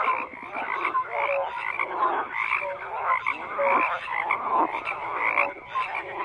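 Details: Massed frogs croaking, with short bright tonal notes sounding roughly once a second over a bed of rasping, pulsing croaks.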